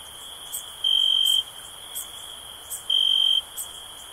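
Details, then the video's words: Crickets chirping as a sleep and relaxation sound: a steady high-pitched ringing trill that swells into two louder half-second bursts, with faint soft ticking higher above. "Cricket Sounds for Sleep"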